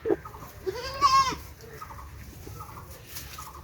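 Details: A farm goat, shown in the context of breeding bucks, gives one wavering nasal bleat about half a second long, over steady background noise and faint repeated clucking-like calls.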